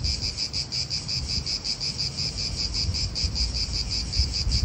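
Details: Cicadas in an Italian park, a steady pulsing high buzz repeated about three times a second, with wind and low traffic rumble beneath.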